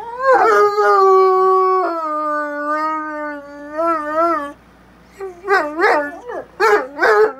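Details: Bloodhound pair in a friendly howling conversation: one long steady howl slowly falling in pitch for about four seconds, a pause, then short rising-and-falling yodelling howls repeated several times.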